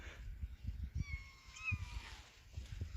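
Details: A kitten that lost its mother gives one long, clear, slightly falling mew of nearly a second, over steady rustling and soft low thumps of handling nearby.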